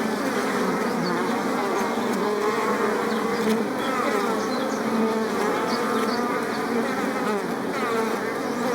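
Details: A dense, continuous drone of many bumblebees and bees among flowers, a low humming chorus that never pauses, with individual buzzes rising and falling in pitch as insects pass close and move away.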